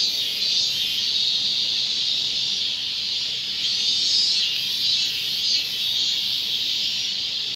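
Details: A robust cicada at Gongenyama Bird Sanctuary, Japan, on 30 August 2020 gives a loud, steady, high-pitched droning song with a gently pulsing throb.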